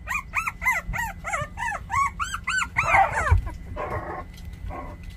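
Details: Puppies aged 24 days whine in a rapid, evenly paced string of bright arched yelps, about ten in under three seconds, breaking into overlapping rougher squeals and whimpers at the end.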